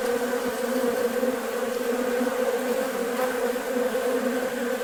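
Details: Crowd of honey bees feeding at a bucket of sugar water on a warm, nice day; continuous droning hum with layered steady tones, evenly loud throughout, no other clear sounds.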